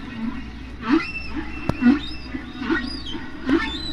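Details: One humpback whale singing near Bermuda in spring, captured by hydrophone and played at natural speed and pitch: squeaky upsweeping tones with harmonics alternate with low moans roughly every second, over a steady low hum and occasional record clicks.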